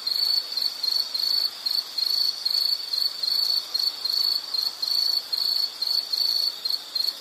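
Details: Insect calling steadily as a relaxing nature sound, a high, shrill chirping around one pitch, pulsed in bursts about every half second with brief gaps, over a faint hiss.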